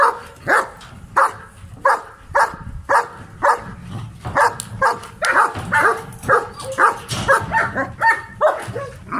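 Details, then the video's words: Adult male German Shepherd barking aggressively, loud harsh barks at roughly two per second in an uneven rhythm, some doubled. "German Shepherd Male very agressive"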